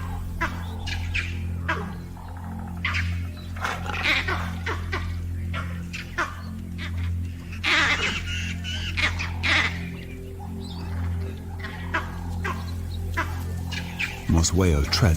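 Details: Vervet monkeys in Botswana's Okavango Delta chatter harsh, rapid alarm calls in the distance, echoing a jackal's barks and warning of a leopard near a den.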